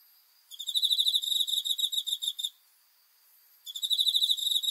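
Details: Cricket at night, dated 5 August 2020, giving high, pulsed, ringing trills in two bursts: one of about two seconds, then a quiet pause before a second run begins. No other sounds.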